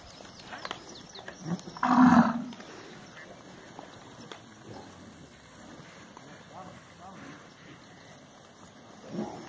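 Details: Fat Nelore, Brahman and Guzerá cattle weighing about a tonne each, being sent to slaughter. A single strong, hoarse lowing call swells around the two-second mark against a steady background murmur, with a faint bellow at the end.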